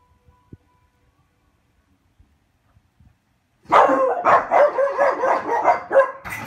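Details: Two French Bulldogs at home on a weekday around 5 PM, waiting for their owner to return from work, breaking into an excited burst of rapid, yelping whines and whimpers after a quiet stretch, with a woman greeting them.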